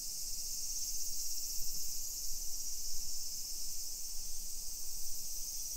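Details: Summer cicadas in a hillside residential neighborhood of Nisshin city, suburban Nagoya, Aichi Prefecture, Japan, at 1 PM on 28 July 2021: a steady, dense high-pitched shrill drone without breaks, over low rumbling walking and street noise.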